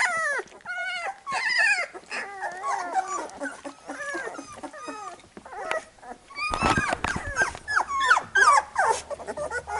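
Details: Several Labrador Retriever puppies squeaking while their mother cleans them after feeding: dense overlapping high whimpers and short arched squeals, louder and busier in the second half, with soft rustling.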